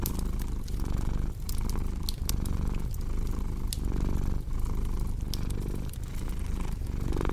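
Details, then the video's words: Cat purring with a deep pulsing rumble in roughly one-and-a-half-second cycles, set against the crisp crackle and occasional pop of a fireplace. "Purring Cat with Cozy Crackling Fireplace Sound"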